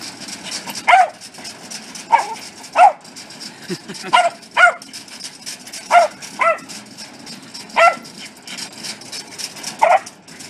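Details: Welsh Corgi barking in a series of short, sharp barks, about ten over ten seconds at uneven spacing, with a steady background hiss.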